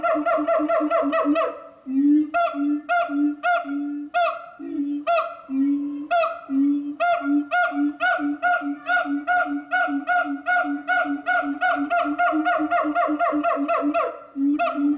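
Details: Loud hooting series from a siamang kept at Chiba City Zoo, rich harmonic notes pulsing several times a second, briefly broken by a sharp rising shriek, then resuming in a faster rhythmic run.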